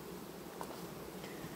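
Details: Honey bees in August, a colony calmly superseding its queen, 18 August 2019; continuous low droning hum from the hive with a brief faint higher tick partway through.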